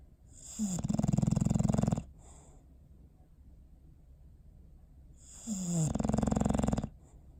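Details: Bowser the dog asleep, recorded December 21, 2019, giving two fluttering, throaty snores roughly five seconds apart, each opening with a brief downward-sliding whine before the steady buzzing rattle.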